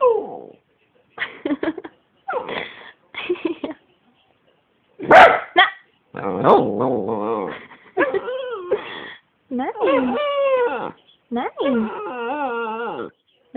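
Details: Pet dog making funny, unusual noises indoors: wavering, drawn-out harmonic whines and moaning grumbles in the second half, following a stretch of a person talking in German with short vocal bursts between the words.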